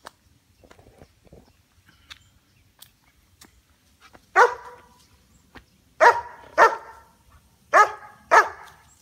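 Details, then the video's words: BeeBee, a female White German Shepherd aged 2 years 9 months, guards a backyard against squirrels; after quiet rustling she gives five loud, deep barks in two pairs and a single, spaced about a second apart. "BB on Squirrel Duty"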